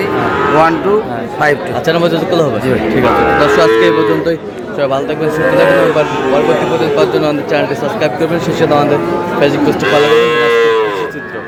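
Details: Lowing of Sahiwal cattle amid a busy Bangladeshi cattle market in Kurigram, bull purchase underway: several long, arching moos, one clear near the end, layered under constant talking and market hubbub.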